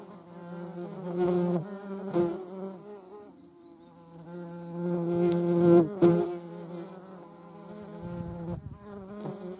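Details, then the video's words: European hornet recorded together with median wasps: a continuous low droning hum with rich stacked overtones that swells louder near the start and again around the middle, with a few sharp clicks or knocks. "European hornet and Median wasp. Europäische Hornissen und Mittlere Wespe"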